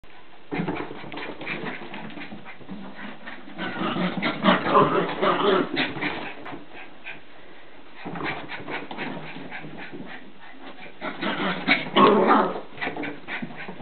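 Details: Border Terrier puppy having a mad turn while playing; rough growling and snuffling bursts in clusters, loudest around four to six seconds and again near twelve seconds, with pauses between bouts.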